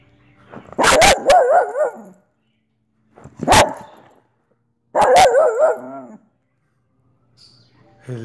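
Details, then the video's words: Soft Coated Wheaten Terrier named Olive barking three times: long, warbling, howl-like barks with an undulating pitch, each lasting around a second, spaced a couple of seconds apart in a quiet room. "Olive the Wheaten terrier barking"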